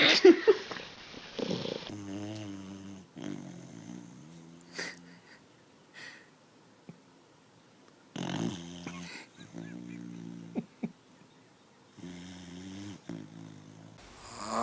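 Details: Sleeping puppy snoring: wheezy, buzzing breaths with stacked tones, about a second long each, repeated every few seconds with quiet gaps between, plus a few faint clicks and rustles.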